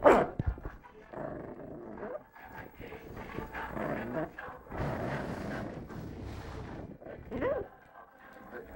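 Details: A 3-month-old female Lhasa Apso puppy, angry, growls and gives short, high yapping barks in uneven bursts.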